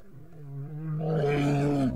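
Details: Two grizzly bears in Yellowstone meet over a kill and growl, a deep rumbling roar that swells and grows rougher after the first second and carries on steadily to the end.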